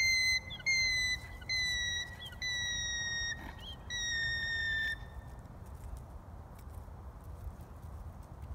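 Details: A worried alpaca gives a shrill, whistle-like alarm call, repeated in quick bursts and dropping slightly in pitch.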